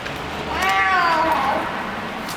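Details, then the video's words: Hungry stray cat eating in a garage basement gives one drawn-out harmonic meow that rises then slides down, a so-called happiness noise made while feeding. "Hungry street cat eating and making funny noises at the same time"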